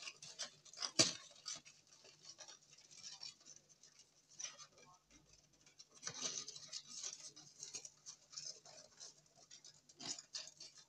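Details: Longhorn beetles noisy after dark: scattered scraping clicks and crackles, a loud burst near the start, quieter patches, then clusters of rasps toward the end, with a soft low hum throughout.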